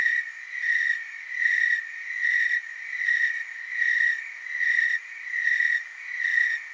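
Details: Tree crickets chorusing in the Willamette Valley, Oregon, producing an unbroken high-pitched trill that rises and falls in volume in steady beats a little under a second apart.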